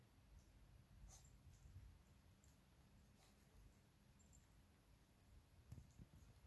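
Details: Low, steady rumbling growl from two mixed-breed dogs, a 12-week-old Alaskan Klee Kai cross Pomeranian puppy named Luigi and 7-year-old American Eskimo cross Chihuahua Pooki, fighting over a toy fox indoors, faint throughout with small clicks and taps.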